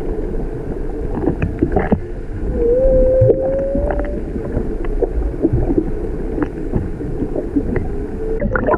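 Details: Humpback whales, a mother and calf off Maui, recorded from a whale-watching boat; a single long, steady moaning tone rises slightly over a second and a half amid heavy water rumble, gurgling and boat noise.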